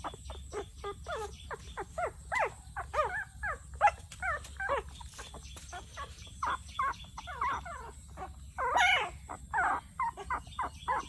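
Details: Young puppy in Cambodia crying with its first sounds; a rapid series of short, high, yelping whimpers, each dipping and rising in pitch, comes in quick succession with brief pauses over faint background hum.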